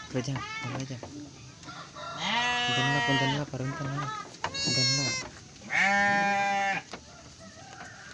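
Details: Garut sheep ewe giving birth to triplets: three loud, wavering, harmonic-rich bleats, each about a second long, preceded by short softer calls, with low background murmur.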